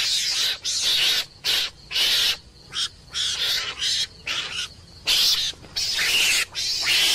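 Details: Screaming meerkat, a mongoose: rough, breathy, high-pitched screeches in irregular bursts of about half a second, separated by short pauses, some bursts longer and louder than others.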